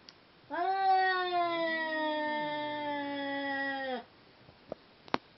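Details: Two Seal Point Siamese cats being paired for mating: a loud sustained yowl of about three and a half seconds, a fainter lower second voice rising and falling beneath it, then a few soft clicks and taps.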